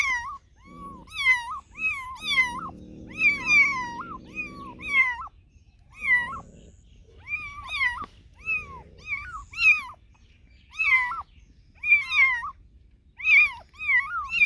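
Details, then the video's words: A run of insistent meows from cats and kittens, each short and hooked in pitch, coming about one per second, with a stretch of low buzzing purr-like noise near the start. "Funny Cats and Kittens Meowing Sound Effects Compilation"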